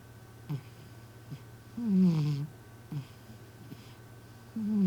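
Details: A community cat, fast asleep, snores almost like a person: two long, low, gravelly breaths with a sliding pitch, linked by faint puffs and clicks, under a constant background hum.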